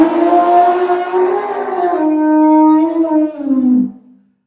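An elephant gives a long, brassy trumpeting blast that wavers and then drops away at the end.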